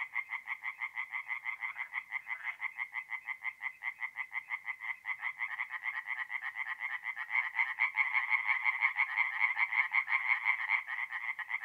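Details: Chorus of tree frogs by night at a forest pond in north-east Italy, mid-April: fast, regular rattling pulses from many overlapping frogs, growing louder and denser toward the end, nothing else audible.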